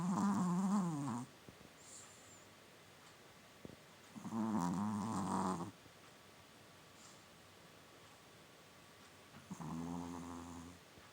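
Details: Sleeping Chihuahua snoring quite loudly indoors: three long, rasping, droning snores, each lasting over a second and spaced roughly four to five seconds apart, with near silence between breaths.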